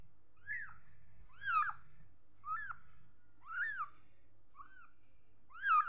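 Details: Little kitten calling repeatedly with thin, bright meows, each bending upward then sliding down, about one every second, the last ones louder, low indoor hum beneath.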